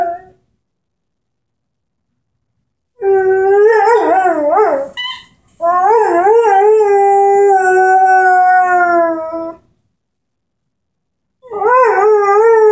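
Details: Henry, a 10-month-old Airedale Terrier, howls while playing with his orange squeaky ball: two long wavering harmonic howls with pitch wobbling up and down, a squeak between them, then a third howl starting after silence.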